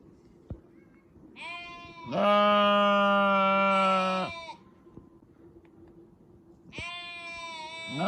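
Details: Sheep giving three bleats: a short one, then a long, loud, steady bleat of about two seconds, and a third rising call at the close; faint background noise and a sharp click early on.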